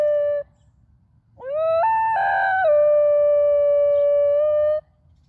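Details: A 9.5-month-old male Basenji, just after leaving a park where he was enthralled by young females, opens with a brief clear note, then swoops into a sustained pure-toned howl with yodel-like pitch breaks, ending suddenly.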